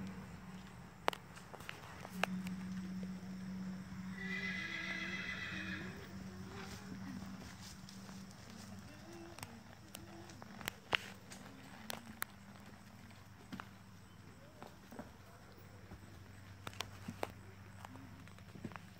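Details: Sunny (Colbolt's Sunrise), a registered 2001 blood bay Tennessee Walking Horse mare, 14.2 hands, gives a shaky harmonic whinny lasting about two seconds. Scattered hoof clops and faint talking follow, over a steady low hum.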